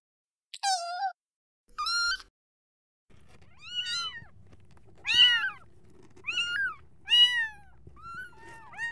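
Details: Kittens calling for their mother: a series of high, arched meows with rich harmonics, about eight calls spread across the stretch, the first two isolated after silence, the rest over a faint low background hum.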